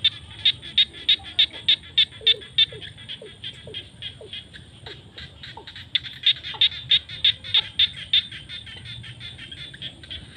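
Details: Field frogs at sunset during the rainy season: loud, evenly spaced high clicking notes repeat about three times per second in two bursts, with softer lower sliding croaks between them in a quiet setting.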